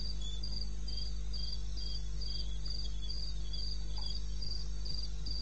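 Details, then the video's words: Crickets in the wild in eastern Botswana, 21 May, 2:30 am. Clean, high, metronomic chirps around four per second dominate, a quieter lower-pitched cricket joins, and a persistent low hum runs throughout. "1 Hour cricket sound"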